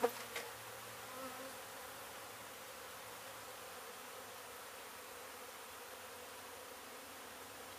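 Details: Steady, even drone of many honey bees from a beehive hit during demolition of an abandoned house in Mission, Texas, with a brief knock at the very start.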